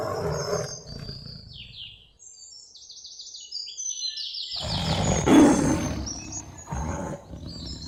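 A tiger gives deep, rumbling roars: a long growl at the start, then a louder burst midway. Light chirping birds sound in the background.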